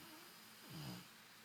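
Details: Golden Retriever Brunão snoring in a lazy Sunday sleep, twitching his nose and smiling; a single low, rough, harmonic snore swells and fades in under a second against quiet indoor room hiss.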